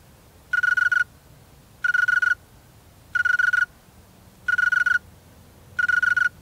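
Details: A male snowy tree cricket sings with its wings, giving steady, pulsed chirps, each about half a second long, repeated every second or so.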